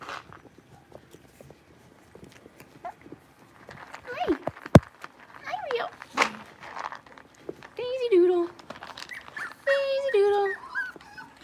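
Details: Six-week-old blenheim Cavalier King Charles Spaniel puppies, a litter of five in an indoor puppy pen, give a few wavering whines, rising then falling, in the second half, mixed with human speech and scattered clicks.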